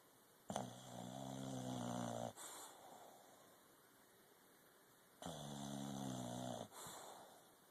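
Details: English Bulldog sleeping indoors, giving two drawn-out rasping snores of about one and a half seconds each, separated by a quiet breath of roughly three seconds; steady faint background hum.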